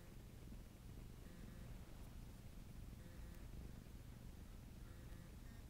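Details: A domestic cat named Bob kneading ('making muffins') and purring, a continuous deep, rumbling vibration with soft, intermittent higher overtones and a couple of brief clicks.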